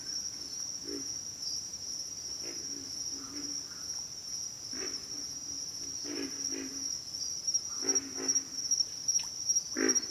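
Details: Pig frogs giving deep, hoarse grunts spaced irregularly a second or two apart, louder toward the end, with a constant shrill insect whine in the background.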